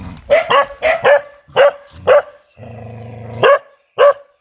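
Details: A ferocious dog barks in quick harsh bursts, a brief low droning sound breaks in midway, then two more sharp barks finish the sequence.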